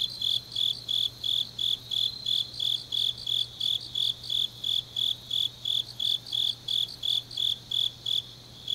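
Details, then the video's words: Grass insects singing through a deep autumn night in Changnyeong, Gyeongnam, Korea; sharp high chirps follow one another at a brisk, even pace of about three a second, backed by a faint constant hum. "깊은밤 가을 풀벌레 소리"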